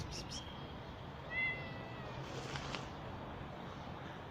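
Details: Newly delivered mother cat living on the street, searched for alongside her hidden kittens; a brief, faint single meow rises out of background noise, followed by a couple of short rustles.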